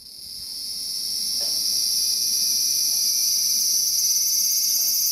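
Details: Cicada singing: a loud, shrill, continuous high buzz that swells in the first two seconds, then holds steady with a fine rapid pulsing throughout.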